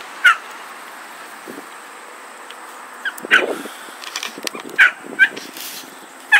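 Dachshund cross puppies give short, high yips and squeaky whimpers, spaced irregularly a second or more apart.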